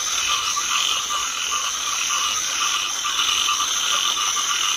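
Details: Chinese edible frogs massed in a rice paddy during light rain, their croaks blending into a steady, dense rattling wall of sound with bright hiss above.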